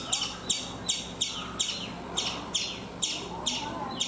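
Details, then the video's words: A chipmunk calls from a coconut tree in India: about eleven loud, piercing chips in four seconds, each short and falling slightly in pitch, spaced fairly irregularly, with faint low rumble behind. "Chipmunk making sounds"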